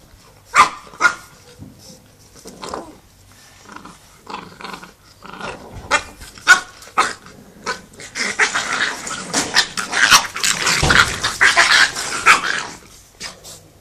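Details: Staffordshire Bull Terrier puppies: short sharp barks and growly yaps scattered irregularly at first, then a dense, rough stretch of overlapping growling and scuffling noise near the end before a few last yaps.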